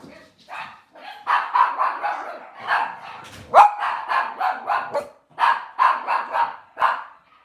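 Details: Cavalier King Charles Spaniel indoors in a kitchen with puppies and adult dogs; bursts of rapid, sharp barks in clusters of several, broken by short silences, with a brief high squeak in the middle.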